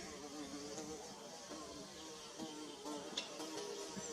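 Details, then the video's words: Bee building its nest, giving a steady, low droning buzz that wavers slightly in pitch, with faint clicks and a soft background hiss throughout. "Bee Buzzing"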